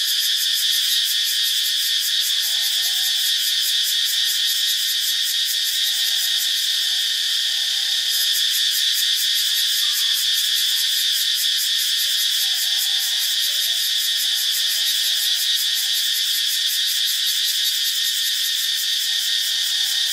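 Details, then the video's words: Cicadas in Ubon Ratchathani, Thailand, fill the air with a loud, unbroken high-pitched buzzing drone. A rapid pulsing texture rides over the top, and the wall of sound stays at steady volume throughout. "เสียงจักจั่น (Cicadidae)"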